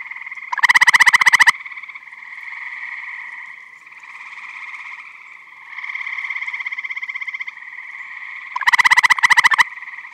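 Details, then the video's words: Chorus of eastern gray tree frogs at a spring or summer vernal pond in Michigan; two loud, close trills of rapid pulses, each about a second long, open and close the stretch, with fainter distant trills rising and fading between. "Eastern Gray Tree Frog Vocalizing"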